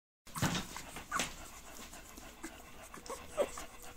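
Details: American Bully puppies from Gottiline and Razors Edge lines panting: breathy, noisy bursts near the start and just past one second, then softer scattered breaths and a brief squeaky tone toward the end.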